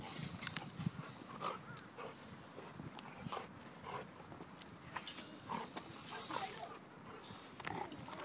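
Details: A female Rottweiler and a male golden retriever play with each other, giving low rough rumbling growls throughout, broken by scuffling bursts and brief louder noisy thumps.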